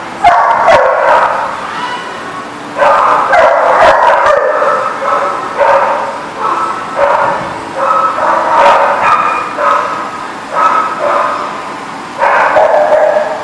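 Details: Dogs at a dog lot recorded on 21 June 2019: loud, rapid, repeated barking in bursts of several barks, with brief pauses between bursts, continuing throughout.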